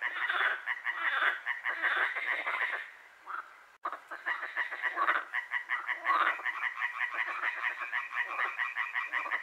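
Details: Frogs calling through the night at Hłomcza, Sanok commune, Poland; loud overlapping rattling croaks, a brief drop near four seconds, then fast, regularly pulsed croaking builds again.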